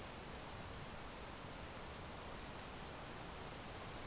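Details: A brief stretch of crickets chirping: a shrill, level trill with a fast throbbing pulse, continuous from start to end, over faint steady background hiss.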